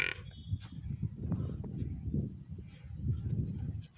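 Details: A water buffalo calf in a village gives a deep, rumbling, drawn-out lowing that pulses unevenly for several seconds.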